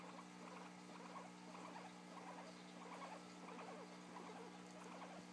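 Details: Quick chattering squeaks from a guinea pig recorded yawning, dense uneven bursts repeating about every second against a steady mains-like drone.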